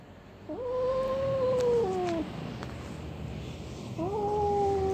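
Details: Orange domestic cat, described as angry, yowling while its owner chats to it indoors as rain falls outside: a long drawn-out harmonic wail lasting well over a second, slowly falling at the end, then a second shorter steady yowl after a pause.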